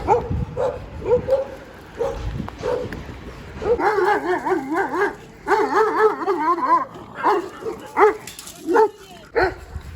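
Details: Two overexcited Siberian Huskies on the walk home from a dog hotel give wavering, yodelling howl-whines with stacked harmonics, short yips early, then long warbling runs through the middle and clipped cries near the end, with brief human speech.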